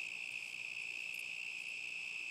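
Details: Crickets on a summer night in 2010 give a continuous, steady, high-pitched trill that holds one even tone throughout without breaks, with no other clear sounds.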